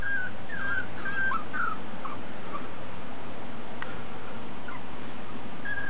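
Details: Piebald Miniature Dachshund puppies with ticking, born July 18th 2012 and recorded August 26th 2012, give thin, high whimpers: short slurred and dipping tones clustered in the first two seconds, a few later, over a low steady hum.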